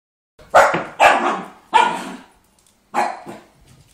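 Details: A puppy frightened by a hula hoop indoors barks four times: three quick, loud, rough barks about half a second apart, then a pause and a fourth bark, with no other sounds between them.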